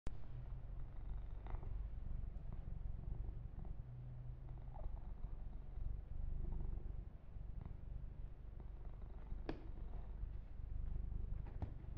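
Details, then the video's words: Domestic kitten purring while being massaged and groomed for ASMR, a steady low rumbling drone throughout with a few soft clicks and brushing sounds from handling. "Kitten Massage - Perfect Sleep Helper Ear to Ear Purring"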